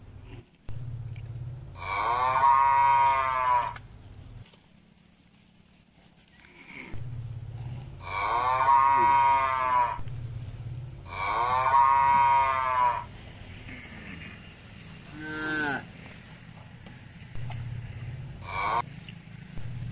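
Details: Village cattle eating grass eagerly while being fed: three long, loud, harmonic moos, each lasting one to three seconds, then a shorter rising call and a brief final one, over a steady low hum.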